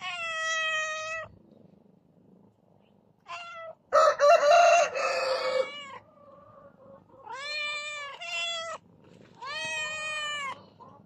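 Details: A domestic cat (Felis catus) gives a series of loud, drawn-out meows with rich harmonics.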